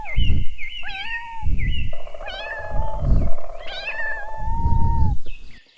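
A kitten gives several thin, high mews, some drawn out and some quick and wavering, over heavy low thumping and faint music.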